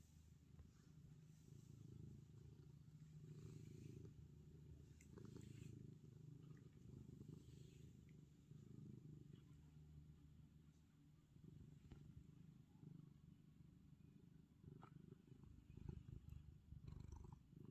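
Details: Ronnie, a black male cat, purring while being petted: a soft, steady low rumble with fine rapid pulses, briefly easing off midway before resuming, plus a few faint clicks above.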